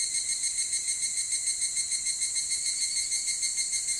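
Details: Evening cicada calling in summer before dawn: a ringing, metallic tone with bright overtones, pulsing rapidly and evenly about three times a second, sustained without a break through the whole stretch.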